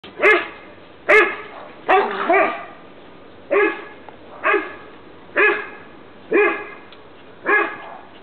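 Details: Dogs outdoors in the sun in 2009: an 11-year-old American Bulldog, a Staffordshire bull terrier and a French Bulldog. Loud, harmonic barks, single or doubled, about one a second over eight seconds.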